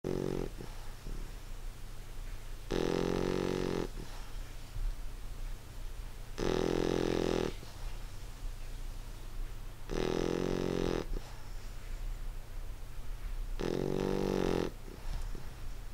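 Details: English Bulldog snoring while asleep indoors: four loud, harmonic-rich rasping snores about every 3.5 seconds, each lasting roughly a second, with a low steady hum underneath and quiet breathing between.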